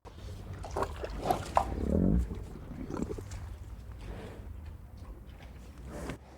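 Up close, a cow crunches and rips at grass in quick, uneven bursts of chewing. A short, low, muffled moo-like grunt rises midway over a steady low rumble in the background.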